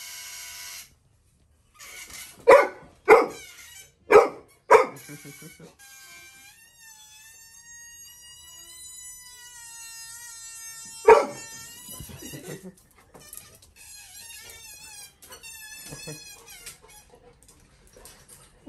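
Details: A Labrador Retriever puppy named Little John reacts to a balloon being blown: four sharp, evenly spaced barks in quick succession, then one more bark several seconds later, with melodic background music filling the gaps.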